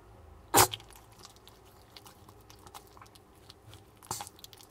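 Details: Chewing duck neck bones, the male Maltese Jamong, born December 2015 in Gwangju, gives two loud crisp crunches at the start and near the end, with soft quiet gnawing between.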